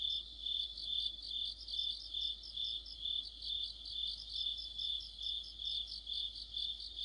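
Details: Autumn insect chorus led by crickets, recorded by a streetlamp in deep autumn: continuous high ringing trill with bright pulsed chirps pulsing about twice a second, evenly rhythmic, no other sounds.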